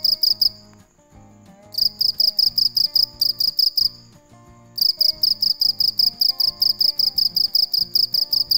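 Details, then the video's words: A cricket chirps at night in rapid high-pitched pulsed bursts, briefly stopping twice before starting again, while gentle instrumental music and a low beat play underneath. "Tiếng con dế mèn kêu về đêm cực hay, sounds and pictures of crickets"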